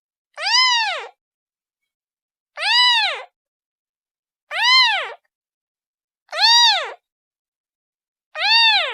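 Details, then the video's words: Kitten calling to its mother: five evenly spaced meows, about two seconds apart, each a brief high cry arching up and down with strong overtones, slightly softer overall; background otherwise silent. "The sound of a kitten calling its mother"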